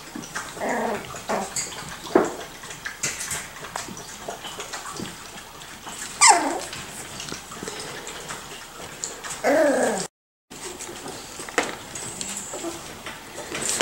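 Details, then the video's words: Playing Miniature Schnauzer puppies aged five to six weeks; scattered sharp yelps and thin whines, including one rising squeal midway, over rustling, clattering play noise and a brief dropout. "Miniature Schnauzer Puppies - 5-6 weeks old"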